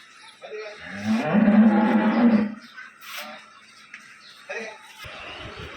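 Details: Eight-month pregnant young dairy cow at a dairy farm in Bangladesh; a drawn-out deep moo about a second and a half long, followed by handling noises and men's voices.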